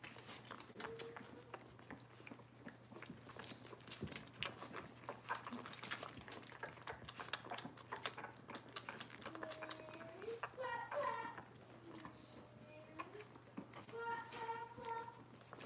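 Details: Cavalier King Charles Spaniel puppies from Robin's litter, indoors, give a few high, tonal whimpering whines, a wavering pair midway and a short steady one near the end, over constant pattering, clicking and chewing noises and a steady low hum.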